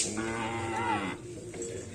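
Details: Cattle during karapan sapi bull race training at a field in Aseamanis: one harmonic moo of about a second that wavers slightly in pitch, then fades into faint background noise.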